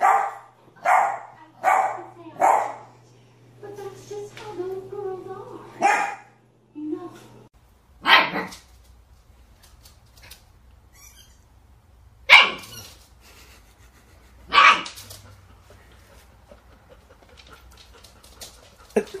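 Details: Puppies open with a rapid string of yapping barks over a low hum, then fall to a few scattered single barks separated by long quiet gaps.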